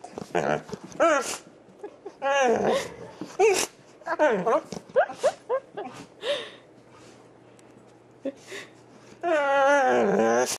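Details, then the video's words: Excited dog making funny greeting noises while holding a slipper: bursts of wavering, yodel-like whines and yips, ending in a long sustained warbling howl; a person speaks softly in between. "Rice's funny noises"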